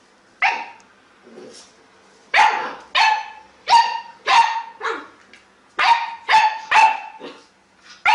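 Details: Dog reacting to a lemon with bursts of rapid barks, several in quick succession then a pause, each bark loud and harsh with a clear ringing tone, softer whines or grumbles in between.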